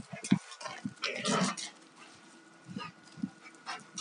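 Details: Two Alaskan Malamutes, a 2-year-old male and a 4.5-year-old female, rough playing: short low growling bursts and scuffling noises come in uneven clusters, loudest near the start and middle, with quieter grumbles afterward.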